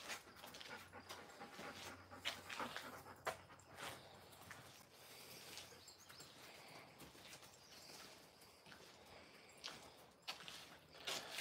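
Alaskan Malamute puppies give brief, high thin whimpers and soft panting amid shuffling and clattering.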